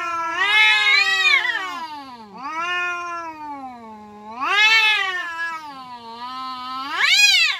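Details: Village cats squaring off in a fight, drawn-out howling yowls with a slow dip in the middle, then two loud rising wails that climb sharply before fading.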